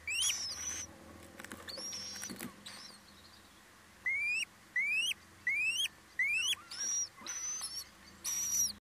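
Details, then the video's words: Mouse called a fresh mouse, about to be attacked. Sharp upward-sweeping squeaks come in a quick series of about six, roughly every 0.7 seconds, after earlier higher, thinner squeals and scattered clicks and patter. "Ha,verse muis....aanvallen!"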